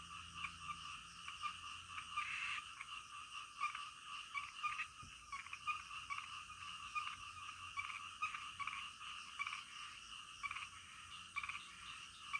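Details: Frogs croaking at night within a dense chorus; distinct short, loud rasping croaks punctuate the steady high trilling background every second or so, one especially strong burst early on.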